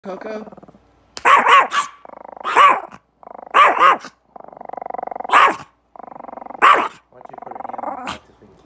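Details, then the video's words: Angry Chihuahua indoors growling in drawn-out, buzzy rumbles broken by sharp yappy barks about every second or two, with a person talking and calling to the dog in between. "The Chihuahua Mad"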